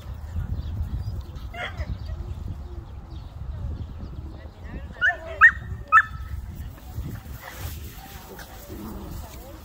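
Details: Jack Russell Terrier playing with Quimera, Bora and Musu outdoors on 21 April 2021; a single sharp bark, then three quick high barks about half a second apart, over low rumbling wind and handling noise with faint human voices.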